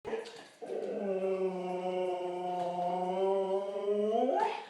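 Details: Female pet dog howling after a beautiful Sunday in the yard and a family visit. A brief yelp, then one long, steady, tuneful howl held for about four seconds that rises in pitch at the end.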